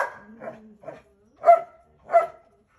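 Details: A male Belgian Malinois pup fights back while its parents discipline it. A low whine-growl comes first, then a few quick yaps, then two louder, separate barks about half a second apart.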